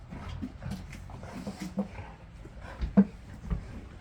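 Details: Golden retriever excited by snow in Chuncheon, South Korea, one of six dogs in the household. There are a few brief low whimpers and huffs with soft pauses between them, and human voices faint in the background.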